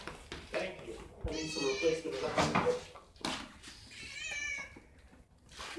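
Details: Highly excited house cat meowing loudly, two strained, wavering meows a couple of seconds apart, overlapped by a woman speaking Spanish and some handling noise indoors.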